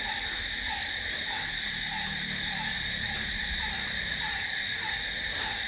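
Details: Crickets calling at night: a steady, unbroken high-pitched trilling in several layered bands, with a lower soft note repeating roughly twice a second underneath and a faint low rumble.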